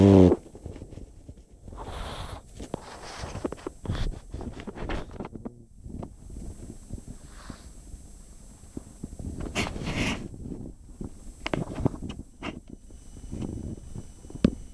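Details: Chip, a pet pug, snoring while asleep indoors: irregular low rumbling snorts and wheezy breaths with occasional louder puffs, spaced unevenly across the recording.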